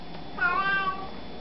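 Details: Brief cat meow offered as a hello, a short rising-then-falling mew of about half a second over constant low-pitched background hum.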